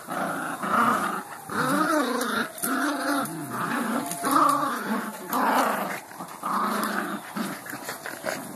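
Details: Beagle at play letting out a run of rumbling, wavering growls, roughly one burst per second, nearly continuous through the recording in a small room.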